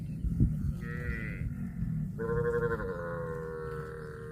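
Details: Cow mooing: a short, higher, tonal call around the first second, then a long, steady, lower moo held for about two seconds, with faint background rumble.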